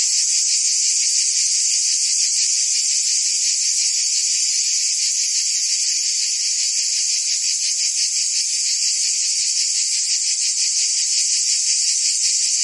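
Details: In Provence, France, in summer, a wall of cicada song: high, metallic buzzing sustained without gaps, lightly pulsing at a rapid, uneven beat, level and unchanging throughout.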